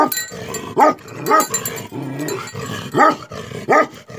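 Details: Tibetan Mastiff (Bhote Kukur) giving four angry, resonant barks in just over four seconds against steady broadband background noise.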